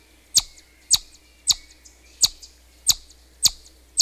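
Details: Chipmunk giving sharp, high, clicky chips, seven in about four seconds, each a brief bright burst repeated roughly every half second over a faint steady hiss.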